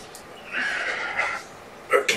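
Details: Kittens born November 22, surrendered with their mother Olympia, sleepy indoors on a February 13, 2018 afternoon; one long, steady, mid-pitched meow lasting nearly a second, followed by short sharp knocks and rustling in a small room.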